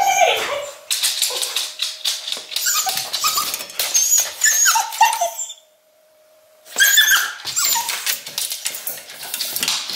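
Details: An English Cocker Spaniel in Berlin, left home alone with separation anxiety during a lockdown, gives agitated, scratchy whines and yelps in a rapid jumble, falls silent for about a second, then starts again.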